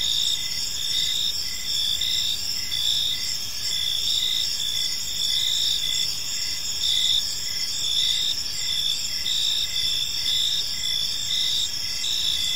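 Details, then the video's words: Chorus of crickets in a park as evening falls: constant high shrill trilling, several overlapping singers, steady level with gentle pulsing swells and quiet low-frequency background noise. "Park Serenade: Cricket Sounds in a Peaceful Park | Evening Ambience"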